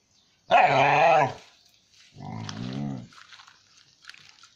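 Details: Dog giving two drawn-out, tonal, harmonic-rich calls: a loud one lasting under a second, then a softer, lower one after a short pause, with faint bird chirps behind.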